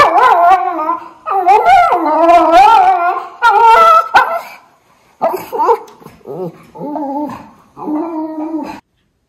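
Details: Two Miniature Schnauzer brothers in Aroostook County, Maine, waking to fresh snow on November 27, 2021, howling and yipping loudly in long wavering, rising-falling cries, overlapping in the first half, then shorter softer yowls toward the end.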